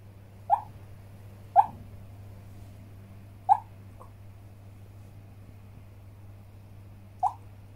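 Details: Brownie, a Shih Tzu dog having a nightmare, lets out short, sharp, mid-pitched yelps or hiccup-like whimpers, four clear ones spread irregularly over eight seconds with a faint extra catch between, above a low steady indoor hum.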